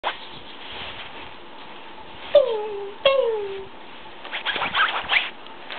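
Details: Brown tabby and white male Persian kitten giving two clear, falling meows about a second apart, each sliding downward with a bright harmonic stack, followed by soft rustling and handling noises.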